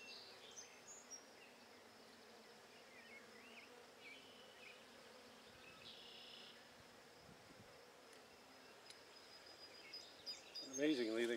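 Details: Honey bees of the Buckfast strain from a handmade hive, settling quickly after being coaxed back in during an inspection on 23 May 2009: a soft, diffuse background hum throughout, rising to a close, louder buzz in the final second.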